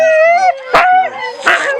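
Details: Siberian Husky puppies around feeding time: a long, steady, tonal whine followed by short, sharp yelping bursts, with a second pup whining underneath.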